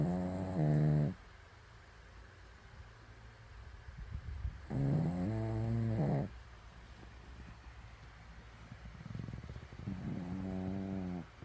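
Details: A fifteen-year-old Shih Tzu asleep indoors, snoring in three slow, droning, harmonic rasps roughly every five seconds, each lasting about a second, with quiet breathing noise between them.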